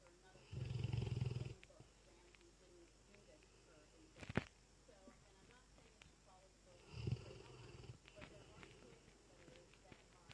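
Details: Lurcher Dezo, fast asleep, lets out a loud, low, throaty snore of about one second. A long quiet pause follows, then a shorter, softer snore near the end, with a brief click in between.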